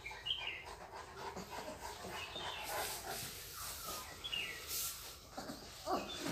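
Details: German Shepherd puppy offered for sale in Ayodhya, Uttar Pradesh, giving short high squeaky whines near the start, around four seconds and again near the end, over a background of rustling and scattered handling noise.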